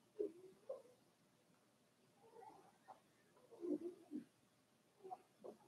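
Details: Four-week-old Cavalier King Charles Spaniel puppies from Daisy's litter in an indoor puppy pen, giving soft, short whimpers and squeaks in scattered bursts, some rising and falling, with quiet room background between them.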